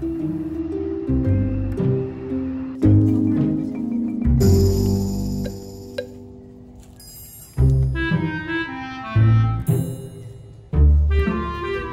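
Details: Mallet percussion music like marimba and vibraphone plays in uneven phrases, with ringing high chimes and deep low notes, with no animal voice heard.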